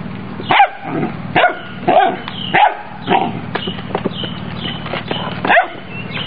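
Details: Doberman Pinscher puppy of European lineage with an imported sire, giving a run of short, sharp barks and yips, about eight in six seconds, some spaced under a second apart, over a steady low hum; a person speaks nearby.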